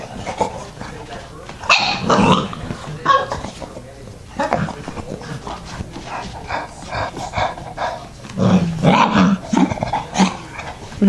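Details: Dog with his puppies, heard in a home as short barks and growly yips break out in bursts, mixed with a person's voice calling the pups.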